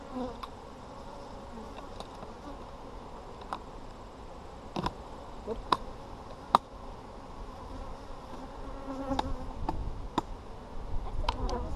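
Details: A honey bee colony hums steadily inside an Apimaye hive during a brood check on July 23, 2020, while repeated sharp clicks and knocks from handling the hive break through the drone.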